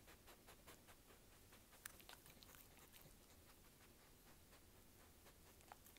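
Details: Dog chewing, heard as irregular crisp clicks and snaps scattered across six seconds, with a few sharper cracks near the middle over a soft, steady background hiss.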